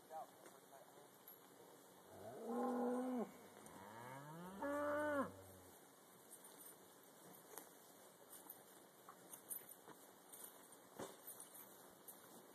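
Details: Black Angus cows loaded onto a trailer on a leased property for transport; two short rising moos around the middle, then steady background hiss and scattered knocks and clicks.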